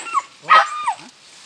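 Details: A young civet kit found at Cikereteg gives short, squeaky yelps and a falling whine.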